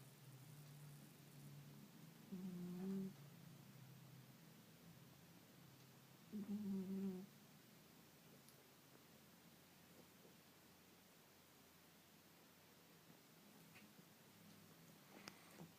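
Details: Sleeping pet cat snoring indoors with a buzzing sound likened to a fly: two short droning snores about four seconds apart near the start, then quiet low room hum with a few faint clicks.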